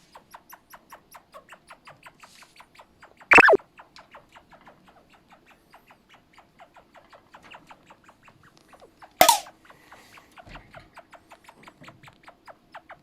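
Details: Charlie, a pet chinchilla kept at home, calling noisily at night in an unusual voice while in heat; a long series of short, evenly spaced squeaky chirps about three per second, broken by two loud thumps or clatters.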